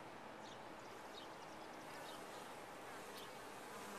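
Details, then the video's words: Short burst of dense honey bee hum from a top-bar hive, steady and even, with thin high whines of individual bees flitting past. "Bees in a topbar hive"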